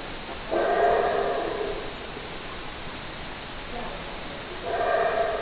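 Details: ['Two rough howls from a howler monkey, each about a second long with rich stacked tones, separated by a few seconds of faint hiss and a brief softer sound.']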